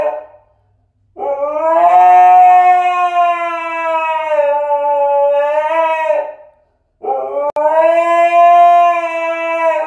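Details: Siberian Husky screaming: a long, steady, clear-toned howl held about five seconds, slightly wavering at its end, then a short silence before a second sustained howl begins and runs to the close.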